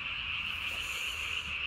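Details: Japanese tree frog calling at night, recorded 3 May 2020, its vocal sac under the chin inflated almost as large as its body; a dense, high-pitched trill runs steadily without a break throughout.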